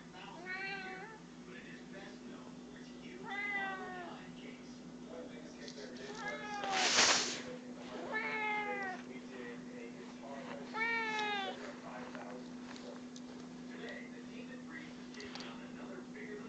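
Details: A house cat gives repeated plaintive meows, about five of them every two to three seconds, each rising then falling, over a constant low hum and a brief rustling burst midway.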